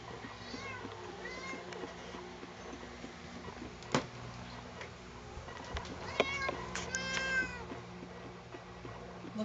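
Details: Pet cat Sugar, protesting while being combed, lets out a series of whining meows, several rising and falling in pitch and growing louder toward the end, with sharp handling knocks and a steady low hum in the background.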